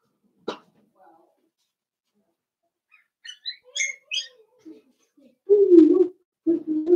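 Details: Four-week-old Cavalier King Charles Spaniel puppies from Daisy's litter in their pen: a few thin, high squeaks cluster midway, then longer, lower nasal whines and grunts follow in two bursts near the end.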